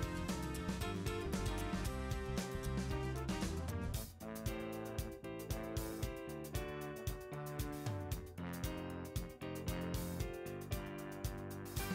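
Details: Steady instrumental music with plucked guitar and a jazzy feel plays throughout, briefly dipping near four seconds, with no animal voices.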